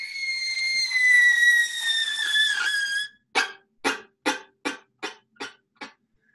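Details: A Weddell seal, the mammal living furthest south on earth, gives a long, slowly falling whistle, then a string of sharp chirps, sounds these seals use to talk to each other.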